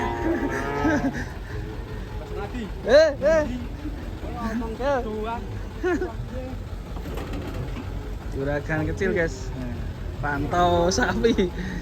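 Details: Cattle raging while being unloaded from a truck in Indonesia, giving a series of short, wavering, harmonic moos that rise and fall in pitch, several spaced a second or two apart, over a steady low rumble of vehicles and background voices.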